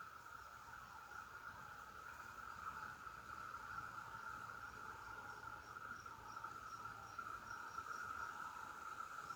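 Cicadas keep up a steady, droning buzz that neither pauses nor changes pitch.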